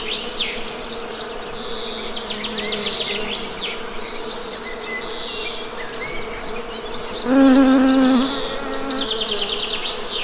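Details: Western honey bees drone steadily while one bee comes close and buzzes loudly for about a second. Birds chirp and trill above the hum.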